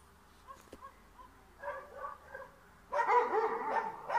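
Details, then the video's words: In a Bulgarian yard where a dog is chasing a cat away, soft distant yips and a sharp knock open the recording, followed by a few mid-strength barks and then a loud, dense run of barking. "Dog Trying to Chase a Cat Out of the Yard"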